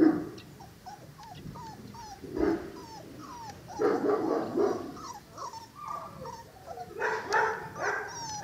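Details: Cane Corso puppies, five weeks old: repeated high whimpers and yips, mostly short falling squeaks, with a burst of overlapping whining near the end.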